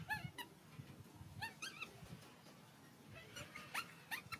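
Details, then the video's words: Baby monkey's hungry cries for milk: a few brief, high, bent whimpers in small groups over a rumbling low background noise. "Baby monkey hungry milk crying so loudly to ask milk."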